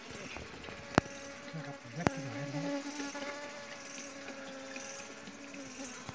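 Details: Honey bees at a home honey hunt give a steady droning buzz with a low, even hum throughout. Two sharp clicks and a brief low voice cut in near the start.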